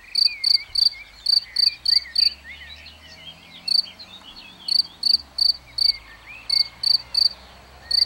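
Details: Chirping cricket filmed in plain view: short bursts of bright, high, clicking chirps separated by gaps of up to two seconds, with a chorus of small birds chattering softly behind.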